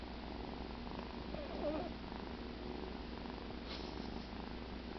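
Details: Cheddar, a pet cat sleeping after the "kill", purring indoors: a steady, low, continuous rumble lasting throughout, with faint room hiss and no voices.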